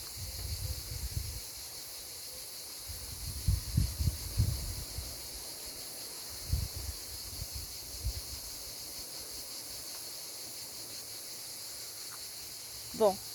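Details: Cicadas in Provence in summer keep up a steady, high, hissing drone while a person talks over it.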